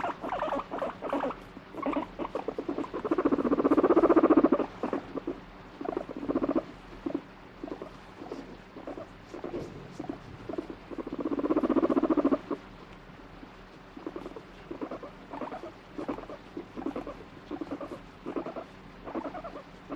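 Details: Pet guinea pig that turns irritable and combative when stroked, alternating between wanting petting and pushing the hand away; low buzzy rumbling churr made of rapid pulses, swelling louder in two long bouts and fading between.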